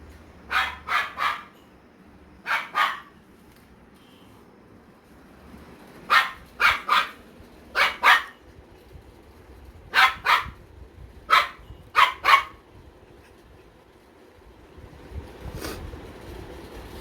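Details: German Shepherd puppy in India barking for the first time: about a dozen short, sharp barks in quick bursts of two or three, with pauses of one to two seconds between bursts.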